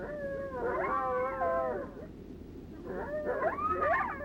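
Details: Two or three coyotes make a group howl, each giving lone howls with wavering tones that rise, fall and cross over one another in two bursts. This call is believed to mean the same as a lone howl.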